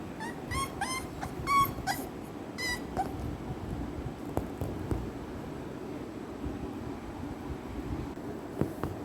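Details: American Bully puppy kept as a pet in Kerala gives a quick series of high, thin whimpers and yips over the first three seconds, then falls quiet while a person talks to it softly.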